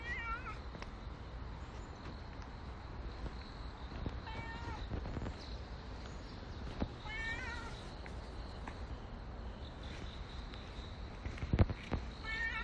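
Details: Stray cat Nero meows repeatedly outdoors, with short wavering, slightly rising cries roughly every three to four seconds, set against a constant hum of road traffic and a few sharp knocks.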